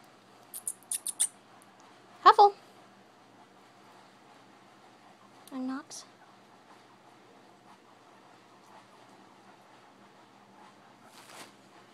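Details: Pet guinea pigs kept indoors, one named Nox, give two short squeaky calls with bending pitch, one early on and one near the middle, plus a few faint high clicks, in an otherwise quiet small room.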